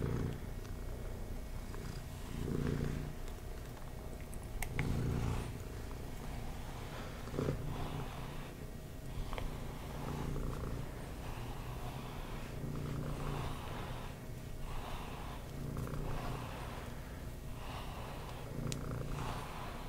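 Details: Cat purring contentedly while brushed, a low rumble pulsing in breath cycles about every two and a half seconds, with repeated soft brush strokes and occasional small clicks.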